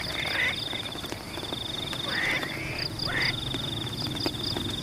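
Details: Frogs in rain-soaked rice paddies give short, harsh, slightly rising nasal croaks in bursts a second or so apart, over a continuous high insect buzz and the soft patter of rain.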